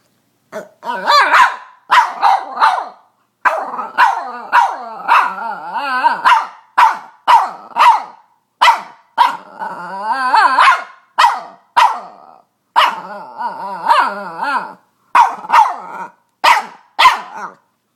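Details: Female Boston Terrier pet barking and squealing: a long run of about thirty rough, throaty barks, mostly about one every half second with brief pauses, a few stretched into whining yelps, with no other sounds.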